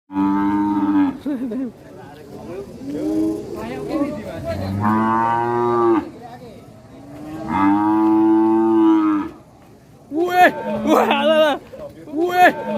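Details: Angry cattle in an Indonesian village giving several long, drawn-out moos lasting one to two seconds each, with rich harmonic tones, followed by shorter wavering voice-like calls near the end.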